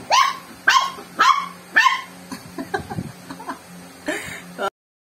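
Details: Joey, a pet dog with swimmer syndrome, barking at a drink of Coke he dislikes; four sharp, loud barks in the first two seconds, then softer yips and scuffling, with a final bark and laughter around it.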